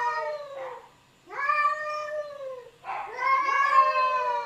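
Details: Arguing domestic cats trading drawn-out moaning yowls, three overlapping wails in quick succession, each bending gently downward, the last one rising louder and more strained.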